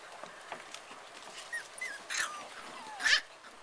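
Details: Puppies playing on their first time out, giving a few thin, high whimpers and squeaky yips, including one slurred falling squeal, spread over a few seconds against faint background hiss.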